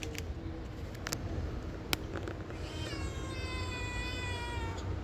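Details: Pet cat answering a woman in a back-and-forth conversation; a long, faint harmonic meow rises near the end over steady background hum and scattered clicks.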